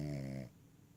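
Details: Lap-sleeping Cavalier King Charles Spaniel finishing a snore: a low, steady harmonic drone for half a second, then it cuts off into quiet room hush.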